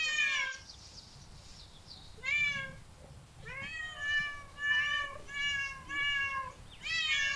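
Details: Cat meowing in short bursts: one bright meow, a quiet gap, then a run of clear, rising-falling meows roughly every second, steady and insistent over a soft background hum.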